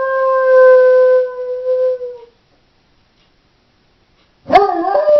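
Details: Pet female Doberman howls while left home alone: a clear, level, drawn-out note holds for over two seconds and fades, followed by silence and the sharp, wavering start of another howl.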